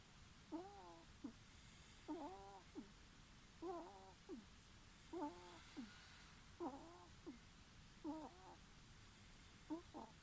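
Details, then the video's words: Ferret asleep and snoring with small wheezy, whistling breaths, a longer wavering squeak then a brief second note, pairs coming roughly every one and a half seconds; otherwise only quiet room hiss. "いびきをかくフェレット Snoring ferret"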